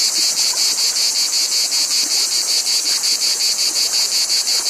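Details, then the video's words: A dense, shrill insect drone from cicadas, throbbing in regular beats roughly every third of a second and holding unbroken throughout. "Cicadas Noise"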